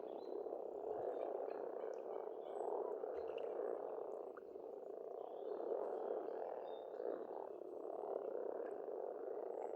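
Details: Spring pond chorus of frogs in Estonia: an unbroken, throbbing croaking mass rising and falling slightly in loudness, with scattered faint birdsong overhead.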